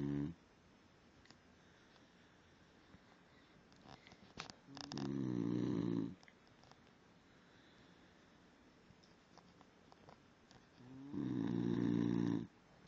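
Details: A sleeping basenji snores very loudly, each breath a low, rattling rumble lasting over a second, with two snores about six seconds apart and quiet room tone between them.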